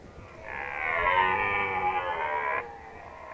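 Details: Red deer in the 2019 rut at Nationalpark Unteres Odertal. A single sustained, hoarse, moaning roar lasts about two seconds, holding steady in pitch before cutting off abruptly.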